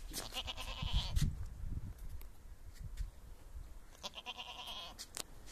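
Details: Barbari goats from Etawah, Uttar Pradesh, calling with nasal, harmonic-rich bleats, one near the start and another around four seconds, over low rumbling background noise and scattered clicks.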